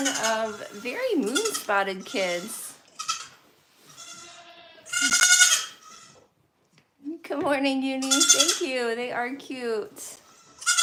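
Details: A goat at The Willful Goat Farm & Home lets out loud, harsh, trembling bleats near the middle and end, interleaved with stretches of human talk and a brief silent pause.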